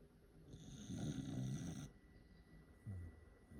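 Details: Corgi snoring, tired of waiting for a treat: a long, low, rumbling snore swells for about a second, then a shorter low snore follows, over a faint steady hiss.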